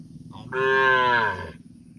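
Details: A calf calling for its mother, who has gone away: one loud, sustained harmonic moo lasting about one second, steady and slightly rising then falling in pitch, preceded by a faint short nasal note, with low rumbling background noise.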